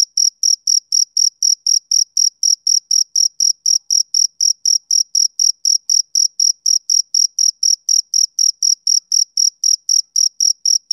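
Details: Summer-evening chirps from a male cricket: sharp, high, buzzy pulses repeated about four times a second at a steady pace over a silent background.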